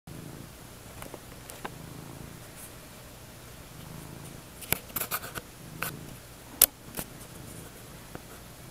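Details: Two domestic cats, Valkyrie and Sigtyr, resting together on a bed in the early evening while someone naps nearby; a soft, steady low rumble of purring runs throughout, broken by scattered light clicks and rustles around the fifth to seventh seconds.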